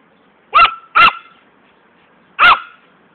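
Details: Fani the poodle, who loves running after a ball, gives a quick double bark followed by a single bark after a pause, each short and bright with a ringing tone.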